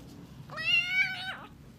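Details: One clear, loud, sustained meow with a drop at the end from a sick two-month-old British Shorthair kitten whose ears, affected by a viral infection, are being cleaned indoors.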